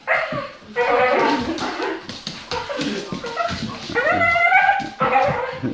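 A Bull Terrier makes odd, strained yowling and whining noises that waver up and down in pitch.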